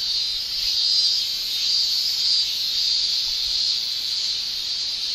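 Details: Japanese summer cicadas produce a steady, piercing high drone, pulsing softly in repeated swells roughly every second, with a short quieter patch early on and no other clear sounds.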